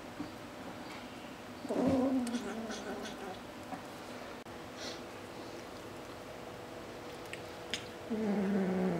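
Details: A kitten named Pepsi, unwilling to share its shrimp, lets out two moaning growls about six seconds apart, the second dipping low and trailing; light knocks and rustling between them indoors.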